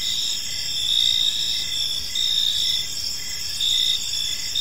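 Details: Evening park crickets: continuous high-pitched trilling with a rhythmic pulsing chirp, swelling slightly in bursts about every second, steady and unbroken throughout.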